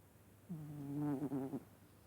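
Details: Vaska the cat snoring in sleep: one loud, low, humming snore about a second long that grows rough and pulsing near its end before stopping, followed by quiet.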